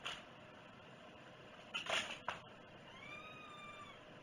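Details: A cat indoors around breakfast gives one soft, drawn-out meow that rises and then falls, following a few sharp clatters and knocks of household objects in a small room.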